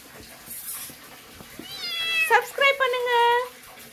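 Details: A cat gives a few drawn-out, harmonic meows that bend downward and then hold level, over soft background music and some faint clatter.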